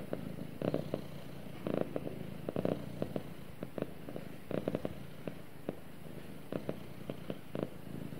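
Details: Pet cat purring while snuggling with its owner indoors, a steady low rumble broken by soft rhythmic bursts roughly every second, some of them close together, with no other sounds.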